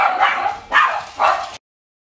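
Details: Bichon Frisé puppies from the X litter at a small kennel give three short, high, rough yips in quick succession, each about a third of a second long, before the sound cuts off to silence.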